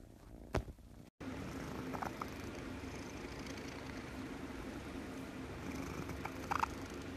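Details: Domestic cat purring steadily, a low continuous rumble with a faint hum throughout, a brief click near the start and soft rustles.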